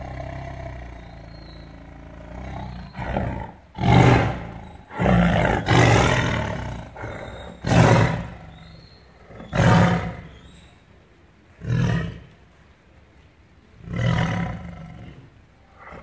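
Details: Caged tiger roaring with anger in captivity: a run of seven or eight loud, deep, throaty roars, each a short harsh burst, coming roughly every two seconds over a low rumbling background.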